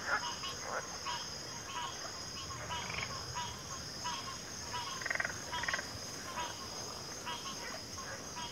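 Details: Frog chorus of many overlapping callers, short croaking bursts repeated irregularly every half second or so, a few louder rasping notes near the middle, over a steady high insect drone.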